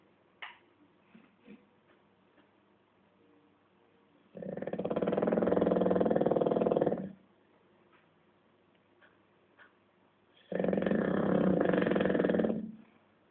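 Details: Rudy the bulldog asleep during an afternoon nap, giving two loud raspy snores of roughly two to three seconds each, separated by a long quiet gap with faint small noises in a small room.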